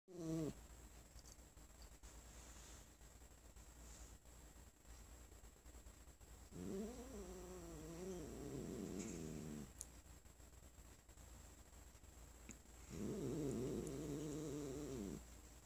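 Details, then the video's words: Sonora, a pet cat sitting on her owner's lap indoors, growling when petted after the owner coughed; low rumbling growls in two bursts around seven and thirteen seconds, with a short whine at the start and quiet room between. "I coughed while we were cuddling and now my cat won't let me pet her anymore"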